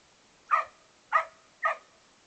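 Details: Australian Cattle Dog/English Setter mix, a male foster dog, barking while playing: three sharp, loud barks spaced about half a second apart, each brief with a short tonal tail, on a quiet background.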